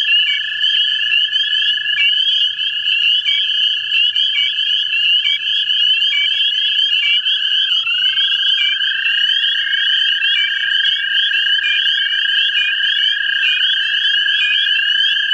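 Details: Male American toads trilling for mates in a central Ohio vernal pool. Long overlapping trills run throughout, with brief chirps scattered through the first half and a dip in pitch around the middle.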